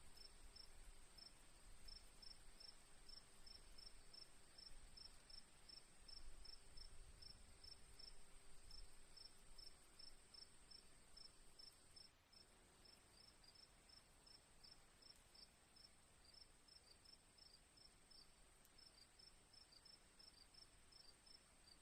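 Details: Crickets chirping with rain water dripping softly: fast high chirps, about 188 a minute, over a steady shrill trill, with a low rumbling background that drops quieter halfway through.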